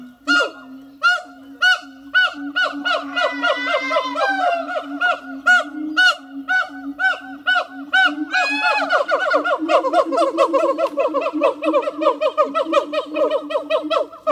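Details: Two siamang gibbons in Zoo de La Flèche, hot summer morning of 6 August 2018, in full duet: rapid, overlapping barks and rising shrieks over a continuous low hooting, building into a dense, excited chorus.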